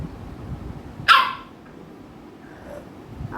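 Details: American Bully at home, one of two pet dogs named Ami and Mikku, with Ami bothering Mikku; a single sharp, harsh bark bursts out once, followed by quiet room noise.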